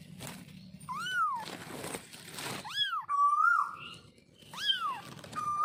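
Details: Baby kitten meowing in a series of short arched mews that rise then fall, about four calls in under six seconds, with a low background hum.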